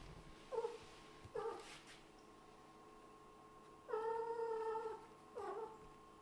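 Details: Kitten of a Scottish Fold and British Shorthair family appealing to its owner for praise after hunting: four meows, two short and sharp, one long drawn-out and steady, then a falling short one, over a faint steady hum.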